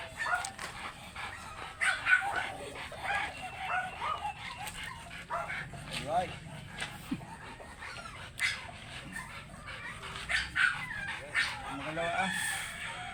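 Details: An oversize American Labrador Retriever gives short sharp barks, yips and thin whimpers while people talk nearby, during a stud session at a kennel in Manaoag, Pangasinan.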